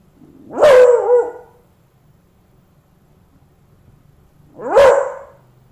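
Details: A Beagle gives two loud, ringing bays at a dead cockroach it had befriended, seemingly trying to wake it; the first bay is drawn out and slides down in pitch.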